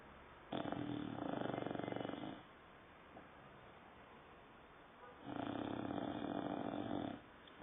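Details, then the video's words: Sleeping dog Saddam, nine months old, gives two long, harsh, rattling snores about two seconds each, separated by roughly three seconds of quiet breathing in a small room. "Saddam roncando"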